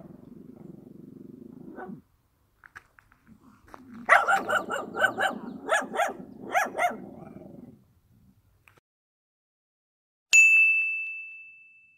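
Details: Dog in rural surroundings growling low, then a series of about seven loud barks roughly half a second apart, a lull, and finally a sharp, high, fading whistled tone.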